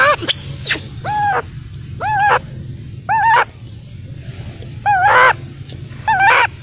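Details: Baby macaque abandoned by its mother cries in arched, wavering harmonic wails about once a second, each briefly swelling then breaking off, with a few sharp high squeaks and a steady low hum.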